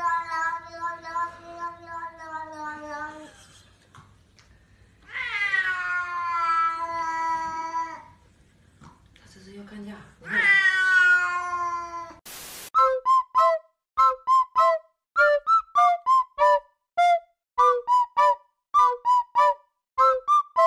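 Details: Cats talking and fighting: three long, drawn-out wailing meows that fall in pitch, then a fast run of short, clipped calls repeated roughly every half second, with bits of human speech.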